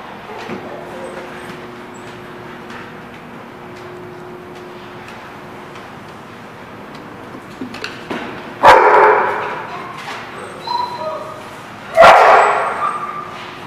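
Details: Dog recorded on 3/11/17: low steady background hum for several seconds, then two loud, harsh, broad barks a few seconds apart near the end.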